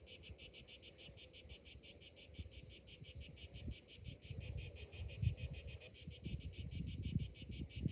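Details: Cicadas in summer morning heat, a high pulsing buzz repeating several times a second, growing louder in the second half, over low rumbling background noise.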